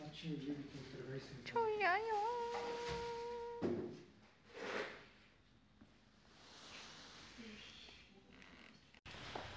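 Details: A 13-year-old white poodle visiting a workshop indoors gives a drawn-out, tonal whine that wavers at first, then holds steady for about two seconds, with people talking before and after it.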